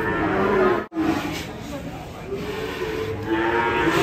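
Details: Enraged cow coming down from a truck and hitting a motorbike; short harmonic moos at the start and end, broken by a sharp gap, amid broadband noise and background music.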